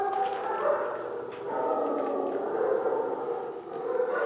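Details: Sleepy day-28 puppies in a pen, waiting for dinner after a nap in a wire crate, whine together in an unbroken, wavering chorus of mid-pitched cries that swell and dip.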